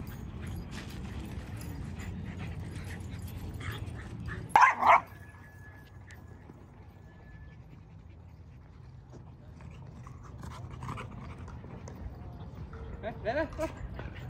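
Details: A dog at a dog park it has returned to after some time away gives a sudden pair of sharp barks midway, set against a low outdoor rumble, then the scene goes quiet.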